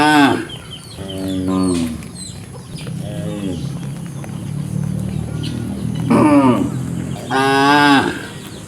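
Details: Cow mooing: several rich, harmonic moos spread across the recording, some short and higher-pitched, others longer and wavering, with quiet gaps between them and steady background hum.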